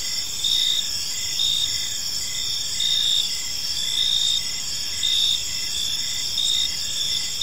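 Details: High, continuous cricket chorus in an evening park, punctuated by louder chirp pulses roughly every second or so, steady with no other animals or voices.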